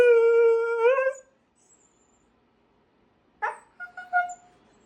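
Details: Siberian Husky Timber and a friend, Rosie, make noise: a long, steady howl that bends upward at the end, then short yelping cries.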